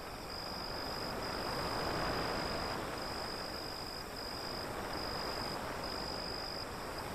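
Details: Crickets at night beside an alley near the sea, a thin, high, steady trill running in long bursts with short breaks, over the loud, constant rush of breaking waves.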